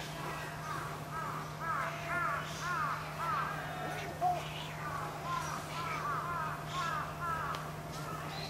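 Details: Captive female Pallas's cat at Saitama Children's Zoo snapping at a male after his mating attempt; series of clear rising-then-falling yelping calls repeated roughly every half second, with a constant background hum.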